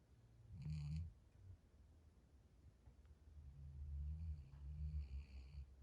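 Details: A sleeping puppy snores while dream walking; soft, low rumbling snores come in slow bursts, a brief one early and a longer swell later, with a faint higher squeak near the start in a quiet room.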